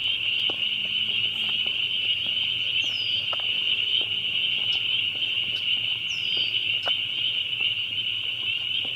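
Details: Loud group of spring peepers calling, a steady piercing high-pitched trill of overlapping peeps, with clear single rising peeps standing out twice and faint low hum underneath.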